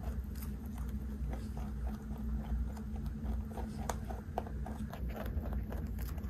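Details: A 3.2 kg giant rabbit munching on snacks it is fed: quick crunchy bites and grinding clicks repeat steadily, with sharper cracks toward the end, over a faint background hum.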